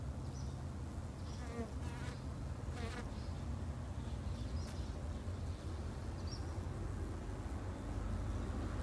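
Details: Low, even humming of Japanese honey bees at a garden hive, with a couple of short rattling bursts and faint high chirps over the drone.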